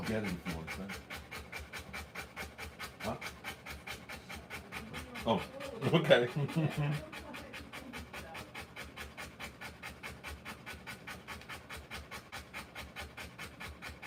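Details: Rottweiler panting while giving birth to puppies: fast, steady breathy pulses about four per second throughout, with a brief louder burst of human voice near the middle.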